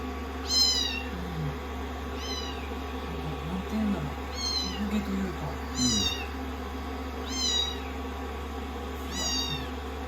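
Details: Rescued kittens on a lap after shampooing and drying, sixteen days into their growth record, mewing repeatedly: thin, high, downward-curving cries about every one to two seconds over a constant low hum and soft voices.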